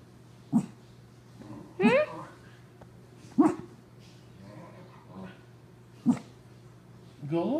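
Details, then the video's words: Too lazy to leave his owner's lap, Skippy, a Pug-Cocker Spaniel cross, lets out short gruff barks every one to two seconds indoors while a person talks in the background. "Skippy Barking"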